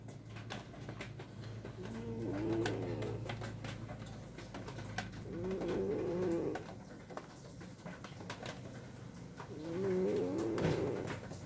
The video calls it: MOMO睡覺打呼 Scottish Fold